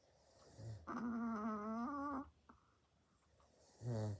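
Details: Pet chihuahua asleep indoors, snoring very loudly: a long, steady, buzzy harmonic snore lasting over a second, then quiet, then a lower, rumbling snore starting at the end.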